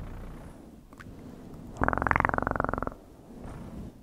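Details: One short, strong burst of cat purring, a coarse pulsed rumble about a second long, set between quiet near-silence.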